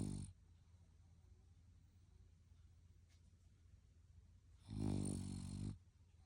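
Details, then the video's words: French Bulldog snores: the tail of one snore opens the recording, then a quiet pause and a single rasping, low, buzzy snore lasting about a second, rising then fading. "Snoring dog"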